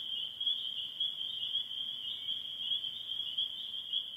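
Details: Many spring peepers in a northern Michigan spring, late in their calling season, producing a steady wall of shrill high peeps with slight pulsing in loudness.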